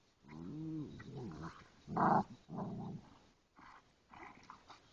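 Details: Indoor play between a Ridgeback and Boxers: a wavering, moaning growl, then a loud burst of snarling around the second second, followed by shorter grumbling growls and soft huffs.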